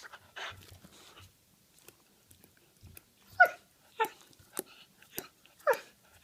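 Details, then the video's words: Dog giving short, harsh, breathy yelps in an irregular series, about one every half second in the second half, after softer low huffs and scattered sharp clicks. "Dogs teef sound"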